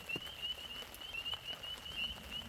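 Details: At night at a camp in Forbes State Forest, Pennsylvania, frogs call together in a steady, high, wavering trill over the patter of rain, with thunder rumbling faintly.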